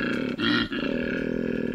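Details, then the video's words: A male koala bellows its mating call, a deep, rasping, pulsing snore broken by brief gasping pauses. Koala. "This is a male koala mating call."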